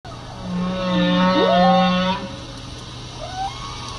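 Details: Humpback whale, shown opening its mouth wide to hunt, giving drawn-out tonal harmonic moans with a rising sweep mid-call and a short upswept note near the end, over a steady low hum.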